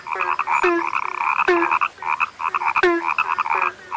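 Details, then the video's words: A frog said to be rare croaks in quick twangy bursts, each starting with a click and a sliding nasal note, with a low short note following; several callers overlap. "SUARA KATAK YANG SUDAH LANGKA"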